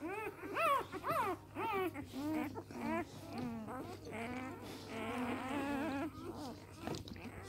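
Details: A litter of three-day-old Samoyed puppies giving piercing upswept squeals at first, then a run of quieter, rapidly repeated little whines and murmurs, roughly two per second, over a faint constant hum.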